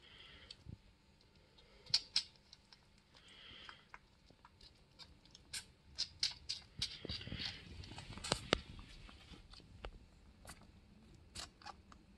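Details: A one-month-old orphaned male bushbuck at a wildlife care centre, found wandering alone, drinks from a bottle with wet sucking clicks and smacks in irregular bursts.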